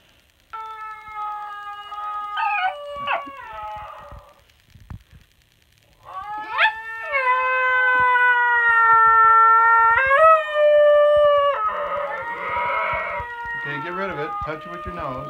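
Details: A female basenji sings along to a recording of her own yodel with sustained, harmonic-rich howling notes that rise sharply, hold, then waver and break. Shorter yelping swoops come between phrases, and a person's voice is briefly audible.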